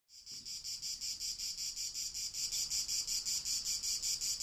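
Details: First cicadas of summer singing on 28 June 2018, real ambient sound from a timelapse: a high, rasping buzz pulsing steadily about five to six times per second, growing slightly louder, with faint low background noise.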